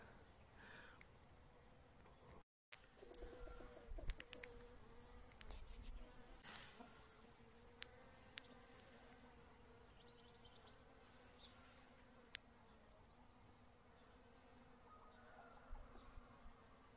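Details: Honey bee working wintercress (Barbarea) flowers in spring: a steady low hum with a higher overtone runs throughout. Scattered clicks, a short dropout near the start and faint high chirps midway.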